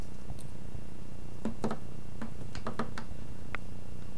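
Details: Cat at play, giving a steady low rumbling purr that runs throughout, with scattered sharp clicks and taps over it in a small indoor room.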